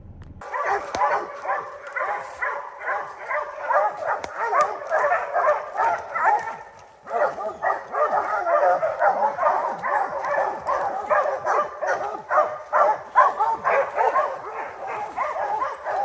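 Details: Rocky, a three-month-old puppy sired by Gray's Rack Em Willy out of Blackstone's Ram-Paige, bays at his first treed black bear: rapid, dense run of ringing bawls, about two per second, with a brief pause near seven seconds.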